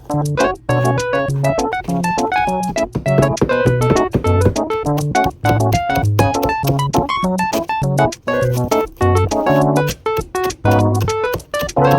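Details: Loud, bouncy piano and guitar background music with rhythmic chords fills the whole stretch, with no animal sounds.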